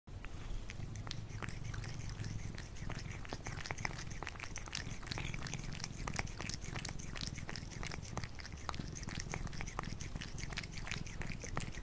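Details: Cat eating food indoors: a dense stream of sharp crunching and chewing clicks throughout, with a low purring rumble underneath.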